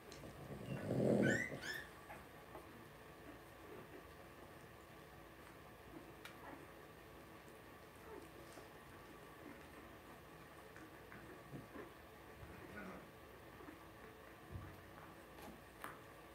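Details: Two-week-old blenheim Cavalier King Charles Spaniel puppy from a litter of five born at New Year, kept in an indoor puppy pen; one short, loud whining squeal near the start, then quiet room with faint rustles and soft clicks.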